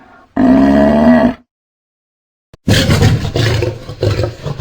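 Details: Lion giving a sustained, tonal, moaning roar lasting about a second, then after a pause a noisy, rasping growl-roar that continues to the end.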